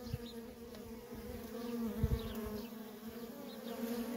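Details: Steady drone of many worker honey bees coming and going at a feral colony, a low continuous hum with a second higher band, and faint short chirps high above it.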